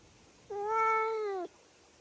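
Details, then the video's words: Domestic cat producing one long, steady, drawn-out meow lasting about a second, level in pitch with a brief drop at the end, against faint background hiss. "Cute Meow Meoww"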